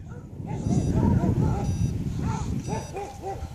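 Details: English Bulldog named Winston chasing a drone and RC model aircraft, nose cut by the propellers; a series of short, arched, whining yelps repeated rapidly over a steady low rumbling noise.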